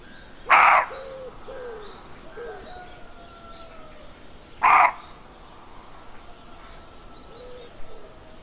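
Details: Roe deer barking at first light in the countryside of central France on 30 September 2018, near a doe with fawns; two short, harsh, broadband barks about four seconds apart, with faint songbird chirps between.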